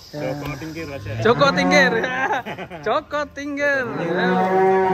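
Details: Cattle at GST Farm, a fat cow shown among unique and funny cows: long, low, droning moos open and close the passage, with human voices, laughter and background music in between.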